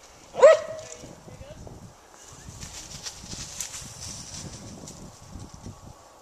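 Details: Daisy, a Gray's Mountain Feist, out in the woods hunting squirrels, lets out one sharp, loud bark near the start, followed by quiet with faint rustling and a soft high hiss.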